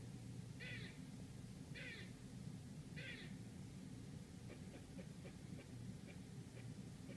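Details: Squirrel outside a Manhattan apartment in New York City gives three rasping barks about a second apart, then a string of faint sharp clicks, with low traffic-like rumble throughout.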